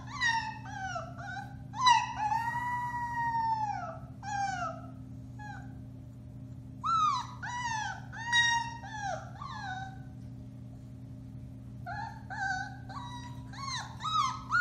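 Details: Howling from four-week-old Alaskan Malamute pups of the Bema and Cole litter, dated March 30, 2021; arching, falling cries and yips repeat in clusters with short silent gaps between bouts.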